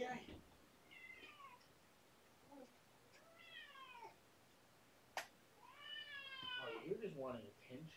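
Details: Domestic cat meowing indoors during evening play with kittens Minion and Lizzie. Several clear harmonic meows rise and then fall, some short and some drawn out, with a sharp knock midway and a quiet room hum.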